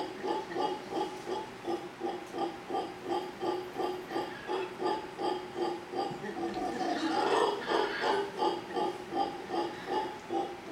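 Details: Family of howler monkeys in big trees across from a hotel in Manzanillo, Costa Rica. Steady rhythmic guttural pulses about three per second, swelling louder and rougher around the middle before settling back.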